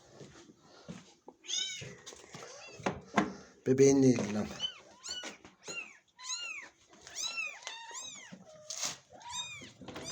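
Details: Domestic cats indoors: a mother cat and her very small kitten, kept in a cage, with the mother unwilling to let her kitten be touched. A run of high, arched meows, several a second in bursts, with a human voice talking in between.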